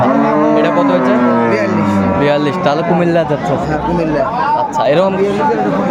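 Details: Market cow with calf, Aftabganj haat, Dinajpur, 1 September 2024. A low moo swells for about two seconds before giving way to overlapping voices of buyers and sellers.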